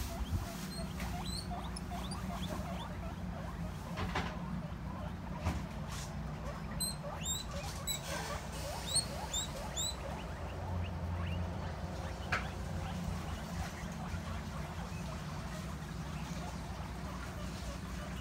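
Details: Pet guinea pig reacting on hearing a plastic bag rustle: many short, thin, high squeaks scattered through the recording, some in quick pairs, over a steady low indoor hum with occasional clicks and rustling.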